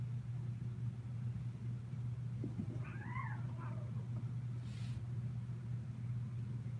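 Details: Kittens of the attic crew, recorded 16 December 2018; one short, arched meow rises and falls around the three-second mark, soft and faint beneath a steady low electrical hum, with a brief hiss near the end.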